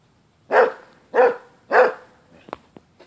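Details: Three loud, evenly spaced barks from a Basset Hound during a dog fight, each full-throated and mid-pitched, followed by a couple of faint clicks.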